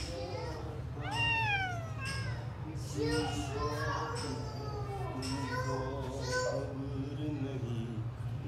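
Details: Abandoned or lost grey stray kitten in a yard on 26 January 2024, asking to be let into the house: repeated loud, sliding meows, the first high and falling sharply, the later ones shorter, over people talking and a low background hum.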